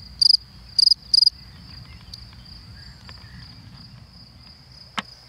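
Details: A male field cricket (Gryllus campestris) in spring in the Creuse countryside, France, sings three loud, shrill chirps in quick succession near its burrow, which amplifies the song, to attract a female.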